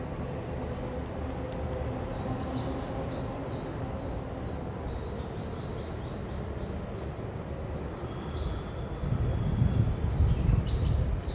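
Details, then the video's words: Loud chirping of an Indian squirrel, high thin squeaks in quick irregular runs, thinning mid-clip then returning, with a low rumble swelling near the end. "Loud Squirrel Chirping Sound"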